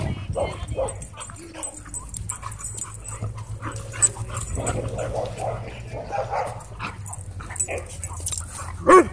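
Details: Two Siberian Huskies play-fighting at a dog park: low rumbling growls and scattered yips over a constant low background hum, with occasional human voices.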